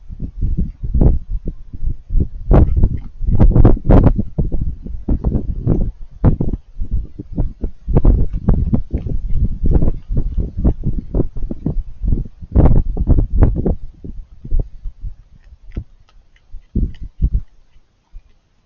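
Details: Raccoon eating, making crunchy chewing noises: dense, irregular runs of sharp broadband crunches and low thuds, close up, tapering off toward the end.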